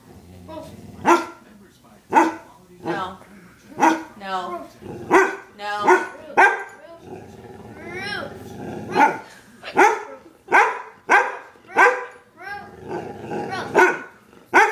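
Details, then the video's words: Pet dog barking nonstop: sharp, loud barks repeated roughly every second, with a few short bursts in between. A person's voice is heard faintly at times. "Funny barking dog"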